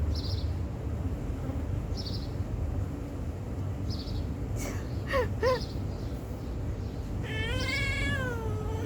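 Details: Stray cat called Missy, begging for food near a water dish. Long background hiss, two tiny chirps midway, then one wavering, drawn-out meow near the end, with a person exclaiming and laughing.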